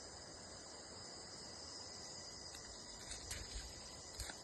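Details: Outdoor cricket chorus, a continuous thin high ringing trill held without pause, with soft background hiss and a few faint clicks toward the end.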